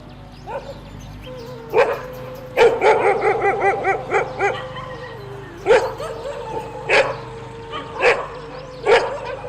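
A dog barks in sharp, irregular bursts, with a few yelping, whining notes between.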